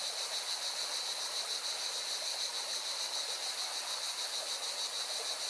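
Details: Constant electric-sounding buzz of singing cicadas at a mountain river in Valencia, Spain, with rippling water noise running underneath the whole time.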